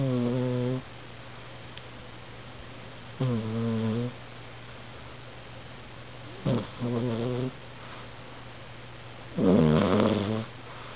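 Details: Sleeping domestic cat recorded with a compact point-and-shoot camera, giving four rasping, harmonic snores roughly every three seconds, each about a second long, separated by quiet gaps over a constant low electrical hum.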